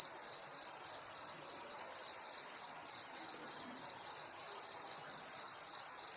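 A cricket gives a steady, high, ringing trill with a faint pulsing rhythm.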